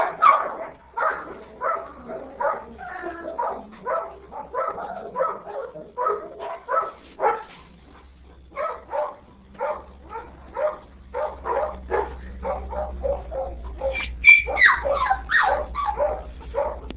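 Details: Three-week-old yellow retriever puppy giving a steady run of short whimpering yips and squeaks, several each second, rising to higher squeals near the end, with a faint low hum beneath.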